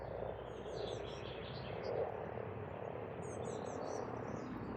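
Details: Frogs calling in spring at a pond on a farmstead in Estonia, a dense continuous chorus of low rattling croaks filling the whole stretch, with thin high bird chirps and twitters above it.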